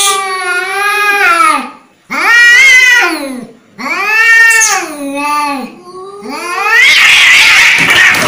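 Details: Angry cat caterwauling loudly: three long, arched, wailing yowls that swell and sag in pitch, separated by short silences, ending in a harsh, raspy hiss-like yowl.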